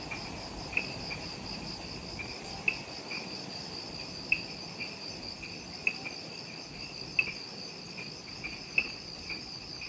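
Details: Forest insects calling at dusk just after sunset near the Mount Omoto trailhead on Ishigaki Island, Okinawa, Japan: a clear, shrill pulsing trill in high bands, punctuated by crisp ticks roughly every second or two, over quiet ambience.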